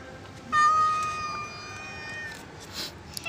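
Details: Domestic cat giving a single drawn-out meow, steady and level-pitched, lasting about a second, with faint background noise and brief speech nearby.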